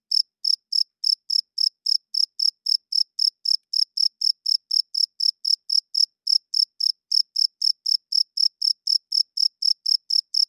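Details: Cricket chirping loudly at night, short high-pitched pulses repeated steadily about four times per second with no other sounds.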